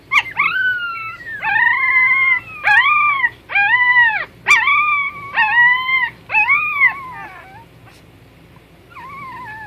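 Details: Puppies whining: a run of about eight high, arched, nasal whimpers with rich overtones, each lasting under a second and coming roughly once a second, then a quieter pause and one last falling whine.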